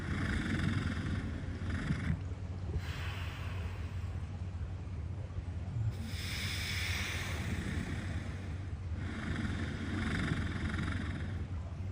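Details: A walrus snores while napping, in slow, rasping breaths that rise and fade about every three seconds.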